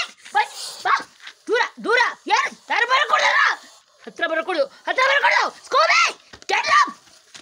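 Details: Three Dachshunds confronting a Russell's viper bark excitedly. About a dozen sharp barks come in quick succession, sometimes overlapping, with a brief pause near the middle before the barking resumes just as intensely.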